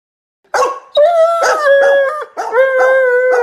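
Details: Doberman dog, from a compilation of funny Doberman clips, giving a run of sustained, tonal howls broken into short segments, each held steady then dropping off, with yelping attacks between them.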